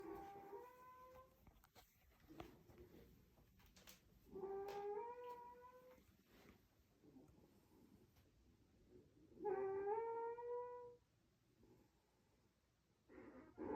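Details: Sleeping raccoon snoring in long trumpet-like tones, each held about one and a half seconds with rich stacked harmonics and a slight upward bend, three full snores spaced roughly five seconds apart with quiet breathing between and a fourth starting at the end.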